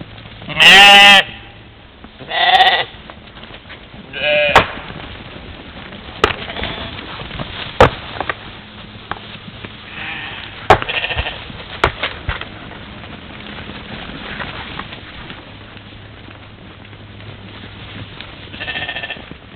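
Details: Morning at a waterhole in Czempiń forestry, Poland, 13 July 2018: a herd of European mouflons at play, caught by a trail camera; three loud bleats in the first five seconds, then fainter calls, clicks and knocks.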